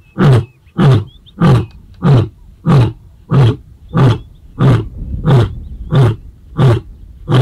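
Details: Tail of a roaring bout by Casper, the white male lion, answering the young Mayambula coalition near Sweni; rapid, very low grunts repeated regularly, roughly eleven in seven seconds, with faint birdsong behind.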